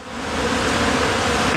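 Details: More than a million bees at a bee rescue, gathered from homes, buildings, trees and schoolyards, make a dense, steady droning hum that fills the air, with no other clear sounds.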